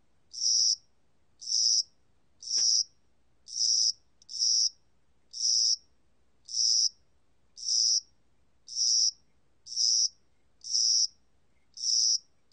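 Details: Korean spring-summer cricket song from 2020: a long run of short, bright, rasping chirps about one per second, very even, with one brief sharp click early on and otherwise a quiet background.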